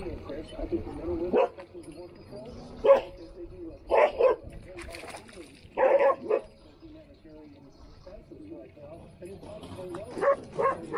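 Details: Standard poodles playing in the water in Ketchum, Idaho: short, sharp barks and yips in scattered bursts about every second or two, with people talking in the background.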